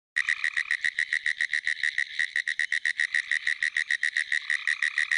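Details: A pine woods treefrog calls from a flooded field after a rainstorm in South Carolina on 22 April 2011: a fast, steady run of clicky, rattling notes like tapped-out Morse code.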